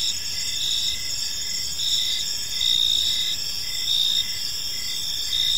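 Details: Crickets chirping in a park in the evening: dense, high, steady trilling bands with pulses swelling roughly every second, several insects overlapping, soft low background rumble.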